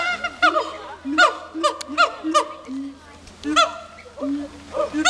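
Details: Two captive siamangs at Dubbo zoo showing off: loud, arched harmonic barks come in irregular bursts about once a second, mixed with lower sliding hooting tones and short pauses between phrases.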